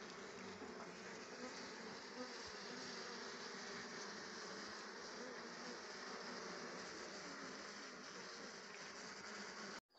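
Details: Honey bees gathering rhododendron flower nectar to make honey; a dense, steady droning buzz of many wings with a low hum band, holding evenly throughout before a brief cut at the end.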